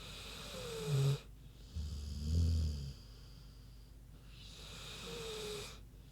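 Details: Queenie, a big sleeping pig, snoozing: low rumbling snores pulse under 200, alternating with hissing breathy exhalations, each breath cycle lasting a few seconds in a quiet room.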